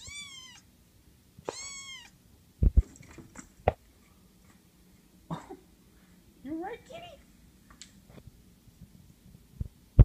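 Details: Female house cat, being petted on a counter before running and jumping off, gives two high, arching meows within the first two seconds, followed by thumps and soft human speech.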